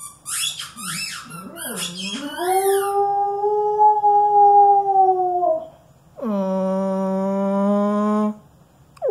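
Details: A female Alaskan Malamute playing with her favourite squeaky toy gives brief high squeaks, then a long howl that rises and holds for several seconds, then a flatter, buzzier, slightly hoarse note.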